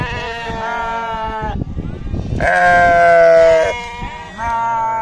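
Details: Sheep or lamb bleating on a farm: a lower baa with background noise, then a loud clear drawn-out bleat, then a shorter steady call.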